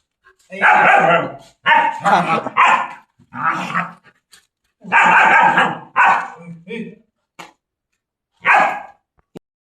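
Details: Chained for the first time, German Shepherd dogs give loud, rough barks in uneven clusters, then fall quiet, with a single late bark; laughter and voices are heard between them.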